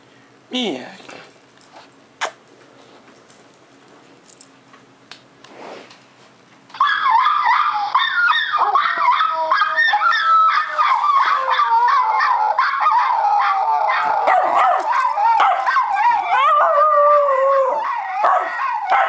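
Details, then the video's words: Pet Schnauzer named Max howling: after a quiet start with scattered clicks, a long sustained wavering howl begins near seven seconds, harmonic-rich and shifting in pitch, continuing loudly to the end. "Howling Schnauzer"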